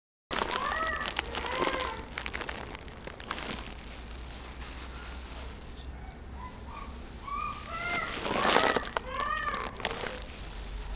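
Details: Chihuahua giving scattered high, arched whining cries with harmonics, some short and some drawn out, in irregular bursts over a steady low background hum with occasional rustling thumps.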